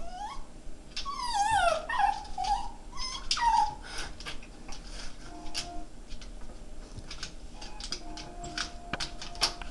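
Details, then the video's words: A Jack Russell Terrier, looking for the other dog he sees on screen (himself), gives high, wavering whines that slide up and down, then falls quiet amid clicks. "Jack Russell Terrier funny noises"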